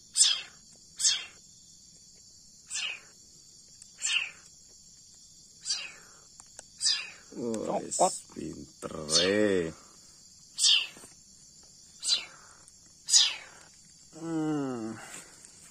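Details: Leopard cat kitten fed formula milk, uttering a steady series of high, shrill, down-sweeping squeaks at irregular one- to two-second gaps, while a man talks over several of the cries partway through and again near the end.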